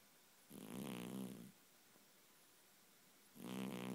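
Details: Domestic cat dreaming and twitching in its sleep, snoring loudly indoors: two long, rasping, buzzy snores about three seconds apart, each lasting around a second, over quiet room hiss.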